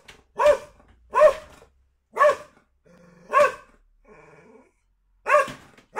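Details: A pet Border Collie, relaxing after dinner, switches to guard-dog mode when a home delivery arrives, giving loud, sharp barks in a steady series as an alarm at the driver, then expects a reward.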